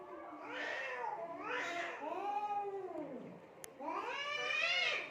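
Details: Cats fighting in Assam, India, trading wavering yowls; several long arched howls, one sliding low and falling away, a brief click, then a loud rising-falling wail at the end.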